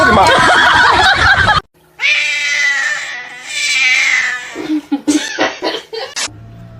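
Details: Cat in a funny cat compilation giving a drawn-out, wavering yowl lasting about two and a half seconds, followed by shorter broken cries, with loud voices and laughter before it and talking at the end.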